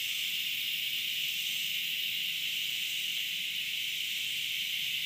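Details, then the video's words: Continuous shrill hiss of a cicada recorded 30 August 2013, an unbroken high-pitched drone at even loudness throughout, with no pauses or other voices audible. "Cicada noise"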